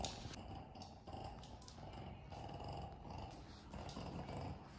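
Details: Kongzi, a five-year-old female pug on a spring outing to a dog cafe in Pocheon, Korea, makes low rough growling grunts in short bursts over a steady hum, with a faint tonal band of background music.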